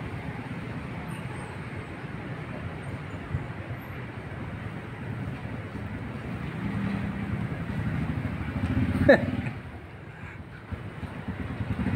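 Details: Steady road traffic and vehicle rumble outdoors in an urban setting, with faint voices and a brief clatter near the end.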